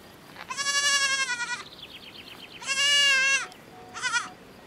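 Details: Miniature goat kid on a farm calling its mother in the herd: a long, loud harmonic bleat, a second sustained bleat, then a brief quavering one, with a fainter wavering bleat between.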